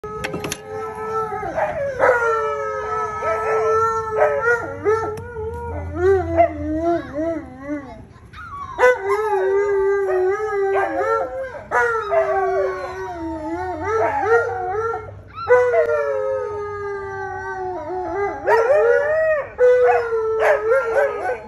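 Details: Alaskan Malamute howling: long drawn-out, wavering howls from several overlapping voices, with sliding and bending pitch, brief breaks near eight and fifteen seconds, then renewed bursts of layered howling.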